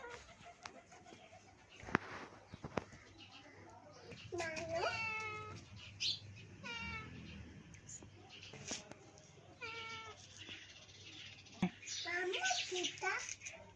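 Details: Domestic cat being fed by a child, giving a series of loud, harmonic meows, some rising then falling, repeated in bursts over several seconds, with people talking and clattering sounds in the background.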